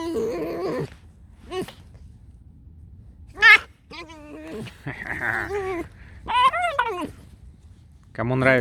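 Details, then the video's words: A pet fox named Alice makes scattered whining squeaks and a sharp high yelp. One longer wavering squeal comes near the end, mixed with soft human talk in a small room. "Алиса - лиса. Просто скрип."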